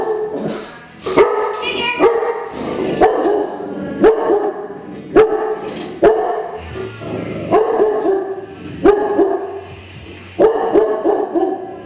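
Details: A dog barks and growls at a deer head mounted on the wall: a steady run of harsh, mid-pitched barks about once a second, with rough growling between them and faint voices behind.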